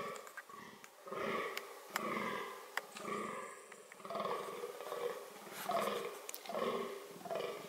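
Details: Fallow deer showing reproductive behaviour: raspy, throaty groans repeated about once a second in an uneven rhythm, broken by a few sharp clicks.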